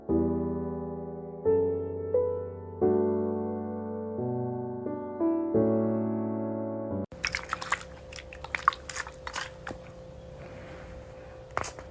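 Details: Electric piano chords play for about seven seconds, then give way to scattered clicks and soft room noise without any animal call.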